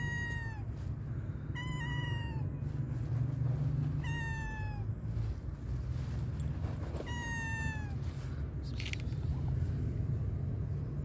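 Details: Stray tabby cat in a park waiting to be fed: four clear, slurred meows, each sliding downward in pitch and repeated every two to three seconds, against a steady low traffic hum.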